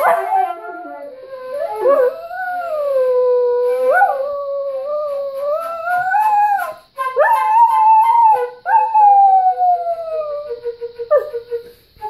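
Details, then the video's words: Whippet singing along to flute playing, a series of drawn-out wavering howls rising and dipping, broken by short yelping upward breaks and brief pauses, with flute tones underneath. "Whippet Sunday. "Yazz-flute" session. Vocals: Whip"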